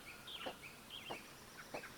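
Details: Coyotes in Michigan yipping: high, thin yelps that break and slide downward, coming in quick bursts.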